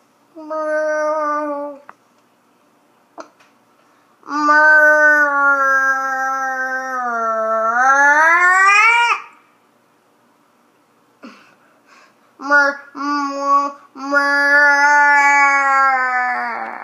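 A llama gives long, nasal, humming calls that sag in pitch and then rise.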